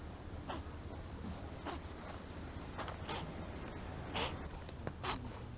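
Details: Stray kittens eating their food, one of them sneezing: several short, sharp broadband bursts spread across a few seconds, each a quick snorting puff, over a steady low hum and soft chewing noises.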